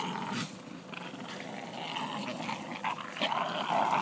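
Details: Killa and Corrado, two Staffordshire Bull Terriers at play, keep up a steady low rumbling growl broken by scattered sharper grunts and snaps, building slightly louder toward the end.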